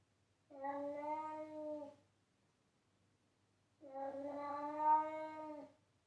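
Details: Domestic cat meowing loudly, two sustained, level, clear meows of about one and a half to two seconds each, separated by a quiet gap of nearly two seconds.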